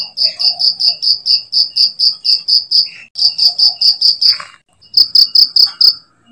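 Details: Cricket recorded as a master sound for training songbirds: sharp, high chirps repeated about four to five times a second in steady runs, broken by short pauses near the middle and end.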